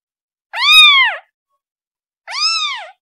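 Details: Calling for its mother, a kitten gives two sustained, slightly drawn-out meows about a second apart, each arching up and sliding down at the end, clean and unaccompanied.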